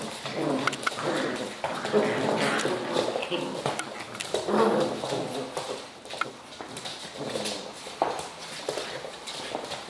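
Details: Serbian Mastiff puppies, 5.5 weeks old, giving soft, short, broken whimpers and whines in bursts, mixed with scrabbling paws and faint human talk.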